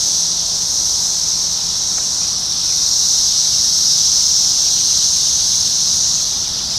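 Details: Massed 17-year Brood X periodical cicadas flying overhead at a McDonald's parking lot in Ohio, June 2021. A dense, shrill, steady buzzing fills the air, gently swelling and fading, with a faint low hum beneath.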